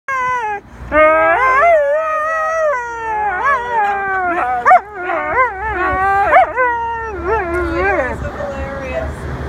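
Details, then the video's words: Husky singing at Middle Park beach: a long, loud howl-like song with yodelling pitch bends, sliding up and down in wavering phrases almost without pause for about eight seconds. "singing husky - song at Middle Park beach"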